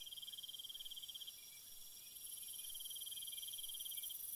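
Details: Night cricket chorus, soothing nature ambience: rapid pulsed trill held high and continuous, first one dominant singer then it stops while another very high buzzing band swells, steady throughout.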